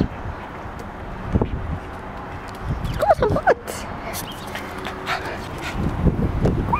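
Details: Pandi, a male pet Japanese Chin, about to be bathed though he hates bath time, gives short high whining whimpers that rise and fall, mostly in a cluster near the middle, with a person's coaxing voice and household noise around.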